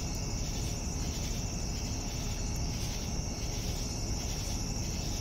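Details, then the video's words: Crickets calling in the evening, an unbroken piercing high drone plus regular soft chirps about every half second, with a constant low rumble underneath. "Evening Cricket Sounds"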